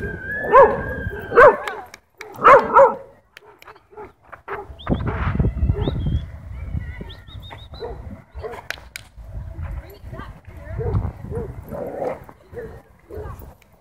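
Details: Dogs in a group chasing a Beagle, with a Shiba Inu among them: three loud, harmonic barks come in quick succession over the first three seconds, followed by quieter scattered yelps and thin whistling tones mixed with background noise.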